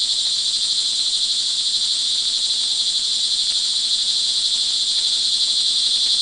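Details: Early-evening crickets in rain, Montalban, Rizal, Philippines, June 24, 2011, keep up an unbroken, piercing high-pitched buzz of many overlapping trills, level and steady throughout, over a soft low background hiss.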